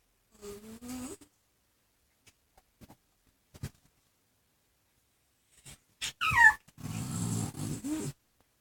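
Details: Ringo, a chihuahua x pug, and Bogart, a pug cross, making weird noises while playing indoors: a low moaning tone, scattered quiet thuds, then a rising squeal followed by rough, snorting growls.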